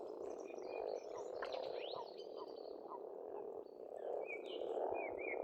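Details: Spring frog chorus at a pond on a farmstead in Estonia: a dense, continuous croaking rattle swelling and easing, with bird song whistling and trilling faintly above throughout.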